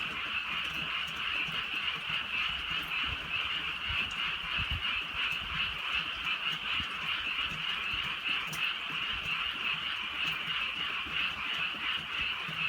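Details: Frogs calling on a drizzly rural night in the countryside, a dense continuous chorus of rapid, overlapping high trills, with scattered rain ticks and low rumbling noise underneath.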